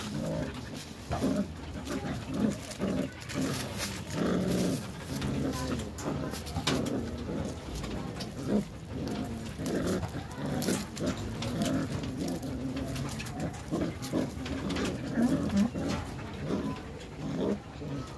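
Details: Growling Belgian Malinois puppies, three in a tug of war game: throaty low growls rise and fall in uneven surges for the whole stretch, over steady scuffling, tugging and clattering noise.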